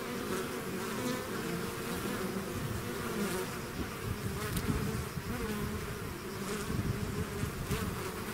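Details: Bees swarming outside their hive make a thick, continuous buzz. It is rich and low with a rough, throbbing texture, and single insects flit nearer now and then without any break in the drone.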